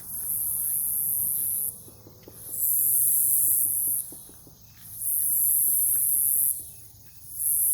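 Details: Night cicada chorus in Omaha, Nebraska woods beside a farm, August 2021: loud, shrill, hissing trains about one to two seconds long, separated by short quiet gaps, with faint clicks and soft low rumble below.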